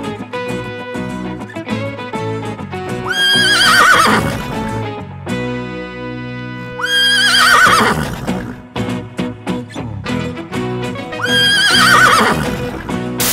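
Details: A horse gives three shaky, descending neighs roughly four seconds apart, sounding above constant instrumental music that carries between the calls.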